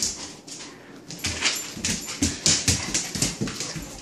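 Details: Four-month-old Saint Bernard puppy playing indoors with a 13-year-old Shih Tzu; short high yips and whimpers in a quick irregular series, with people urging the dogs to fetch a toy.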